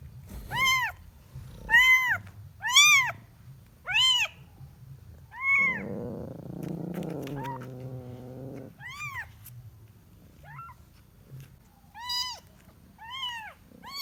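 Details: A kitten searching for its mother meows in short, high, arched cries, four in a quick run, then a longer, lower, buzzy cry, followed by more scattered meows over light background noise.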